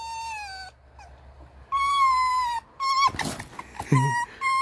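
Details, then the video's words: Red fox kept indoors in a fox room, said to be in a bad mood, gives long, steady, high whining cries rich in overtones, each about a second, with a noisy scuffle between and a person talking softly nearby. "У лиса плохое настроение"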